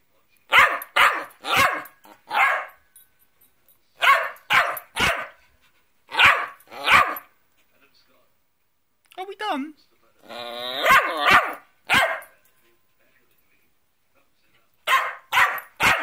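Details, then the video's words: Cockapoo answering back at home after being told off, firing short sharp barks in clusters of two to four, with a brief whiny harmonic vocalisation mid-way and a person's voice between the groups. "Getting Told Off by the CockaPoo"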